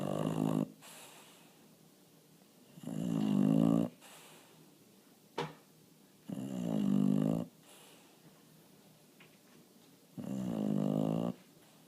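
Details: Bulldog asleep indoors after barking at a bird in the window, snoring in deep, rasping, rattling breaths about every three to four seconds, with a few short snorts between them.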